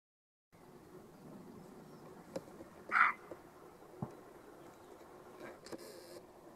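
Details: Roe deer (Capreolus capreolus), bark.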